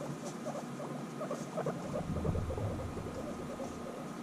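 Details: Two guinea pigs back together after six months apart during intense bonding give a quick burst of short chirps and clicks over a deep, pulsing rumble, steady and close for a few seconds.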